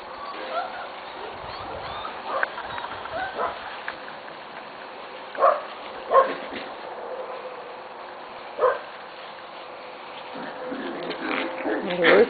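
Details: Corgi puppies from the litters of Cat and Sugarbaby, recorded 21 November 2013, give short high yips and whimpers in scattered bursts, loudest around the middle and at the close, over a steady low indoor hum with a person talking quietly.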